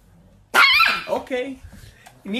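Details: Angry Chihuahua named Nikki: one loud, sharp, high bark bursts out, then trails into a few softer, rough yapping yelps over about two seconds, with a faint voice near the end.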